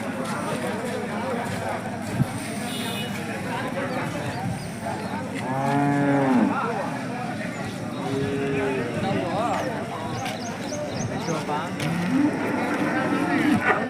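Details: Hallikar cattle at the KG temple market in India. A drawn-out lowing moo comes near six seconds, then shorter ones around eight and twelve seconds, over steady crowd chatter and passing vehicle noise.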